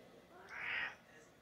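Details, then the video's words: Pet cat wanting its cookies gives a single short, faint meow of about half a second, rising then falling, in a quiet room before a woman speaks to it. "Meow Meow Talking"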